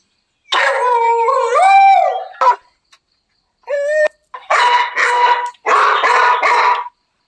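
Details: Beagle dog, described alongside beagle puppies, giving a drawn-out wavering howl with rising and falling tones, a short yelp, then a run of loud, rough barks in quick bursts, each lasting about half a second to a second.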